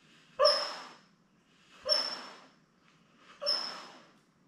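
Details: Newborn Labrador Retriever pups with mother Belle, seven born May 24, 2021, filmed on a live puppy cam indoors; three harsh squealing yelps, evenly spaced about a second and a half apart, each fading out.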